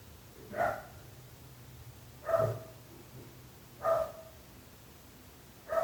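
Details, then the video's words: Dog barking next door, repeated single barks about every one and a half seconds, each short and punchy, with a faint low hum in the background. "26 minuts gossos lladrant / 26 minutes barking dogs."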